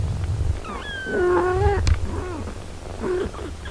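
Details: Mother cat with her six-day-old kittens: a wavering long meow follows short rising notes, then a brief sharp click and two softer falling meows, against a low droning background.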